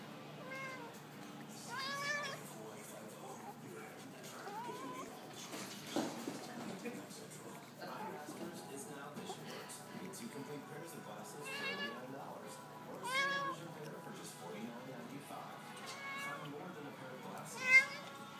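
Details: Siamese cat meowing while having its rump scratched by its owner; repeated drawn-out, rising-then-falling meows every few seconds, some short and chirpy, over faint background noise and a sharp knock near the end.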